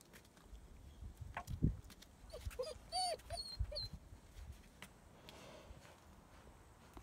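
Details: Two German Shepherd puppies, almost 9 weeks old, born December 15, 2016, playing outside in Florida on Valentine's Day, February 14, 2017: a short burst of high, arching yelps and whines in quick succession midway, with thumps and faint outdoor background before and after.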